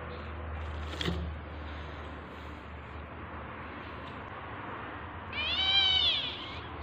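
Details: Single rising-then-falling meow from a tabby cat giving birth, coming after several seconds of low background hum and a brief knock.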